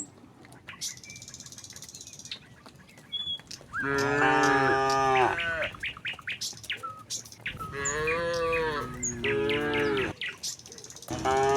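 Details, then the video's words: Tame cattle herd walking from the neighbouring village to the pen; long harmonic moos around four and eight seconds, with bird chirps between calls. "suara sapi moo"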